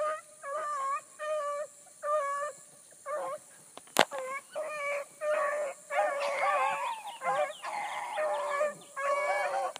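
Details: A pack of Bluetick Coonhounds, a new pup among them, hard on a running rabbit early on a July 2012 morning. Separate bays turn into overlapping voices, and a sharp crack cuts in near the middle.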